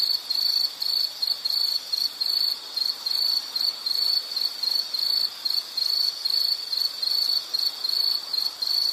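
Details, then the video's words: An insect chirps in rapid, high-pitched pulses grouped into short bursts about three per second, steady and continuous with no other sounds. "Nature Sound of nature sounds scenery L · insect"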